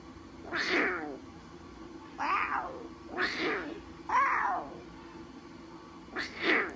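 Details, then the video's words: Talkative newborn lion cubs at Taigan give a series of five harsh, wavering mews. Each one bends downward, and some come in quick pairs, over a constant low hum. "Новорождённые львята - разговорчивое чудо!"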